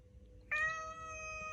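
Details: Domestic cat kept indoors, pleading to go out to the yard for a walk in cold weather, gives a single long, even meow of about one second that starts sharply and holds its pitch to the end.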